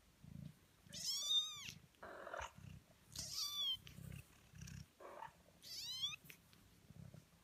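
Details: Eighteen-day-old kittens giving three loud, drawn-out high mews about every two and a half seconds, each arching up and down, with soft low purring or rustling between the calls.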